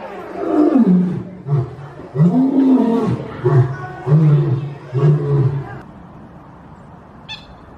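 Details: Lion roaring with deep, rough, moaning calls, some rising and falling in pitch, followed by shorter low grunting pulses; the calls fade out into quiet near the end, with one faint high click.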